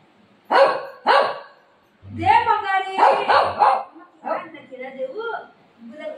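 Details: Golden retriever pestering its mother at home: two sharp barks early on, then yowling, whining vocalisations mixed with a woman's voice.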